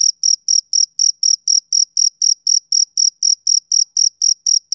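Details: Male cricket chirping on a summer evening: a steady run of short, high, clean chirps, about four per second, evenly spaced and even in loudness, with no other sounds.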